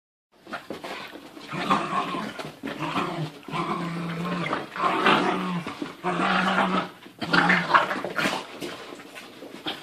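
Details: Two dogs play-wrestling indoors, a seven-month-old female puppy jumping on her 1.5-year-old brother: low rumbling growls in long bursts, broken by short yips and whimpers, with brief pauses between bouts.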